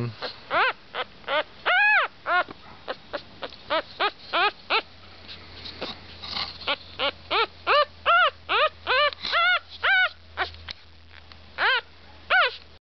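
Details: A litter of Havanese puppies near Knoxville, East Tennessee, including a black and white male, whining steadily indoors. Short, high, bent whimpers come in a rapid run of roughly two or three per second, with a quiet low hum underneath.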